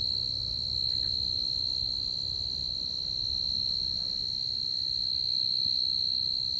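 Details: Tree cricket singing in a garden, filmed close up: a steady, unbroken high-pitched trill held at one pitch throughout, with a faint higher overtone and no other clear sounds.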